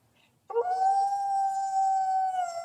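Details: Coyote howl starting abruptly after a short silence, a clean steady higher-pitched note held for about two seconds, with faint harmonics above.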